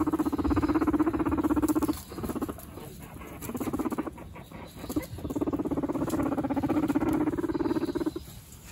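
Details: Guinea pig brothers in a dominance fight give a rapid, vibrating low rumble in three long bouts separated by brief pauses, with rustling and light patter between bouts.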